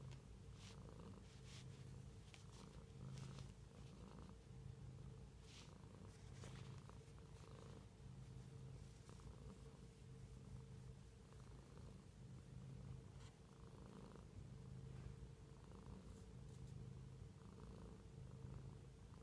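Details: Long, unbroken purring from a cat at home, a low throbbing hum pulsing with each breath cycle, with intermittent sharp clicks and gentle rustling.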